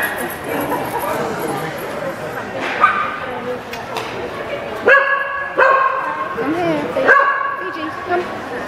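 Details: A Labrador x Patterdale Terrier cross performing a nesting-cups trick before an audience at a dog show in Kent, UK, in September 2012, gives three sharp, clear barks amid steady crowd murmur and speech.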